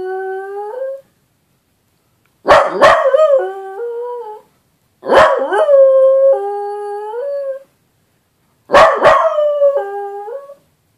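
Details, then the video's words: A dachshund howling for the first time, in short bouts, each a sharp yip sliding into a wavering, stepped tone. "Scooter the dachshund first time howling"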